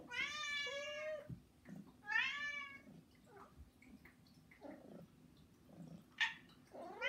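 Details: Housecat begging indoors, one of three pets that cry daily and wake their keeper: two loud drawn-out harmonic meows in the first three seconds, then shorter softer mews and a sharp rising cry at the end.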